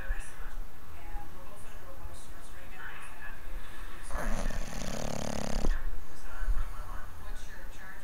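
A sleeping English bulldog lets out one long, rough, rattling snore against a low background hum.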